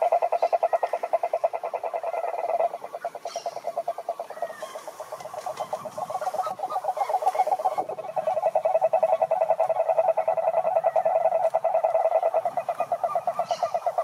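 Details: Cane toads (Rhinella marina), wild, calling in a lake in Brazil's Atlantic Forest: a dense, steady mid-pitched pulsing trill from several overlapping callers, swelling and dipping in loudness across the whole stretch.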